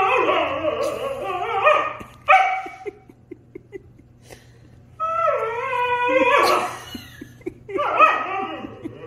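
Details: Argument between a Husky and a German Shepherd: wavering, talking-style howls and whines, a sharp yelp near two seconds, then a long sliding whine and a rough, overlapping burst of vocalising.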